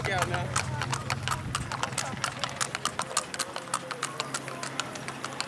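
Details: Tennessee Walking Horse saddle horses in a street parade in Tollette, Arkansas; crisp, quick hoof strikes ring out on pavement in an uneven rhythm, several per second, with voices nearby and a low hum beneath.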